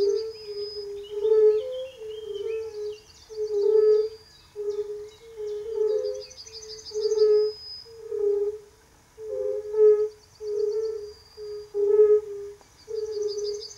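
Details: Male European fire-bellied toads (Bombina bombina) call and compete in spring 2013 at a quarry nature monument near Třebohostice, Central Bohemia, with soft, mellow, low 'oop' notes over a background chorus of other males.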